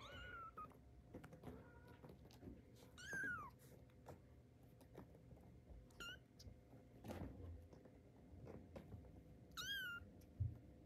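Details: Young tiger-striped kitten on its first steps, calling with short, high, wavering mews scattered over about eleven seconds, some rising then dropping, amid soft thumps and rustling indoors.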